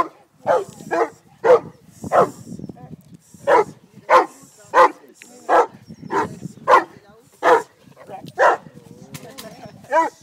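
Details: A Cane Corso named Haus barks steadily during French Ring seminar work in Montreal: a long series of short, gruff barks spaced roughly half a second to a second apart, with people talking quietly in the background.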